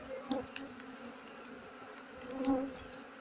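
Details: Honey bees buzzing as a beekeeper works slowly through their nest, cutting out comb while leaving some so the colony stays. A low, steady hum, with louder surges near the start and again toward the end.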